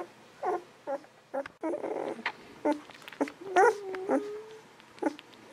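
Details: Golden Retriever babies aged 11 to 13 days, pups of Aiko of Haarby and Lady Dina, make short guinea-pig-like squeaks in quick succession. A brief scratchy burst comes midway, then one squeal stretches into a level, thin whine lasting about a second.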